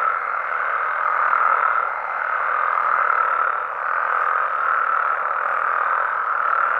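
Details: A dense night chorus of frogs and toads in Mexico, a steady churring drone with pulsing swells.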